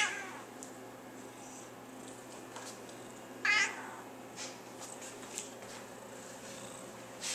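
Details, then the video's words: Pet cat named Tiger, nicknamed Nermal, making funny noises while being playfully nudged indoors; one short harmonic meow near the middle, with faint rustling and small clicks around it in a quiet room. "Cat make funny noises when playfully nudged"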